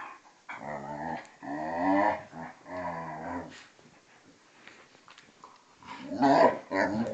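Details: Play fighting between a vizsla and a pointer, aged two and a half and twelve, gives long rumbling harmonic growls in two-second bouts with brief pauses, ending in a rougher snarling burst.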